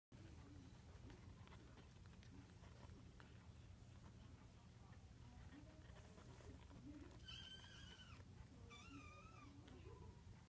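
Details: Munchkin kitten, 20 days old, gives two thin, high, wavering mews near the end, each about a second long, over a quiet, low background hum.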